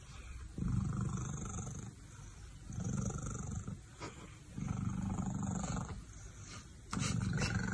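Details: Domestic cat, recovered after treatment, purring loudly while staying close to a man: deep rumbling purr in long stretches of one to two seconds, pausing between breaths, with faint background noise.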